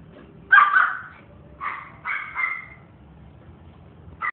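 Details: Maltipoo puppy at a pet shop giving short high yapping barks: one sharp bark near the start, then a pair of shorter yips and a final clipped yip, over quiet indoor background.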